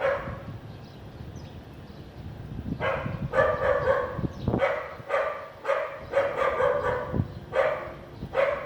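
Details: Sunny afternoon in a clean area of Vientiane, Laos, 15 April 2021: a house dog starts barking after a low background rumble, then repeats sharp barks about twice a second in uneven clusters.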